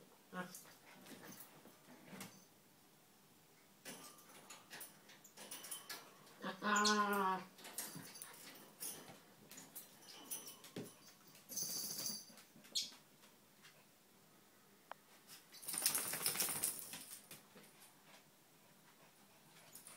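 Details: Two small dogs, Donut a red toy poodle and Dino a Maltese, wrestling playfully indoors without fighting or biting; one brief wavering whine stands out mid-clip amid soft scuffles, thumps and breathy snorts.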